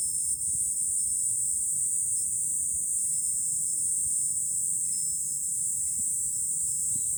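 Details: July cicada chorus heard from a hilltop viewpoint above Fukuoka City, Japan, a continuous piercing high drone without pause, steady in loudness, with only faint low rumble of distant wind beneath.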